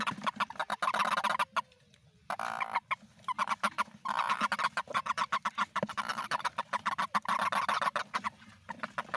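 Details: Toad calling in the rainy season: a dense, fast train of dry pulsed clicks in a mid-pitched band, running almost continuously with a few short pauses over nine seconds, possibly overlapping callers.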